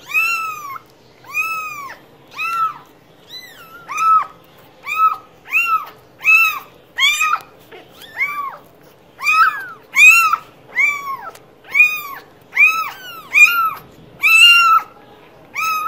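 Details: Cat giving a long series of short, arched meows repeated roughly every 0.7 seconds, steady and insistent, rich in harmonics, with a near-silent background.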